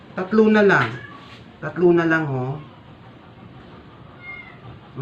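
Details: Two loud, drawn-out meows from a sick stray cat being force-fed to survive, each strained and falling in pitch at the end, about a second apart, followed by quieter room noise.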